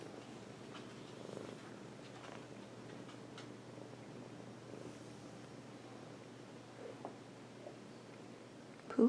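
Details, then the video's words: Domestic cat purring on its owner's lap indoors: a soft, steady low rumble with gentle rhythmic pulses throughout, quiet overall, ending in a brief louder bump. "Purring on my lap"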